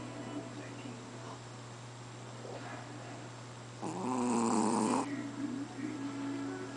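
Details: Chihuahua asleep and snoring, quiet breathing at first, then one loud rattling, buzzy snore lasting about a second, with a constant low hum in the room.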